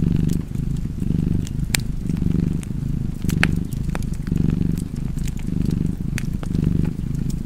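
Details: Purring cat by a crackling fireplace. A deep, continuous rumble pulses in breath-length surges, roughly six over the stretch, while scattered wood pops and snaps cut through above it.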